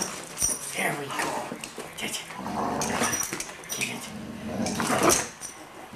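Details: German Shorthaired Pointer and Yorkshire Terrier at play: throaty growls come roughly every two seconds, mixed with snuffling, scratching and bumping sounds, with a sharper bright clatter near the end.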